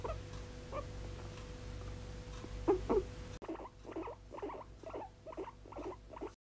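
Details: A guinea pig, a month after being adopted, squeaks in quick, short bursts, scattered at first and then a steady run of two to three per second, over a low steady electrical hum.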